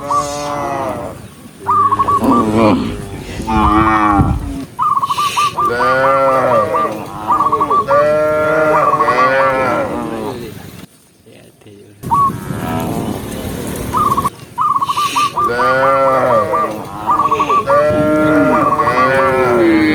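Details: Tame cows herded down a lush green hill, a herd mooing repeatedly and overlapping in wavering, harmonic calls, with frequent bursts of short whistled chirps and a brief quiet gap midway.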